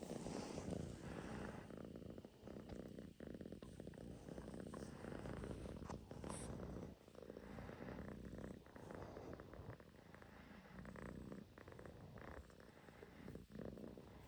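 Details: Russian Blue cat purring continuously, a soft low rumble with fast fluttering pulses, rising and falling slightly in loudness over the stretch.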